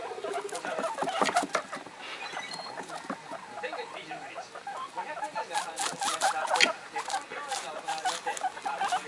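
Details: Three pet guinea pigs, Komachi (a month and a half old) and two one-month-old youngsters, excited and making various calls indoors; quick irregular chattering squeaks and bursts of high-pitched noises with television sound mixed in behind.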